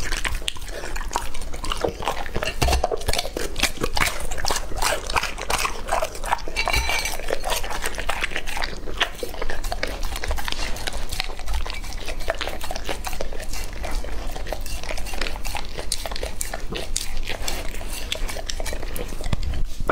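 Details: A two-and-a-half-year-old English Labrador named Lucky chews and crunches raw meat, with rapid, continuous biting and cracking throughout, close and loud. Moist smacking runs between the sharper crunches.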